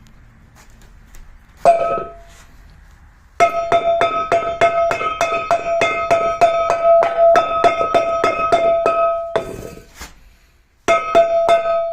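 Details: Bright metallic plucked and clinking tones strike in rapid, steady runs during a loud sound test at a dog kennel, broken by short pauses, with no animal voices.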